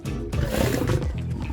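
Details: At a zoo, a lion gives a deep, rumbling roar over background music during enrichment play with bacon-flavoured bubbles and toys, among the male Moto and lionesses Zuri and Kia.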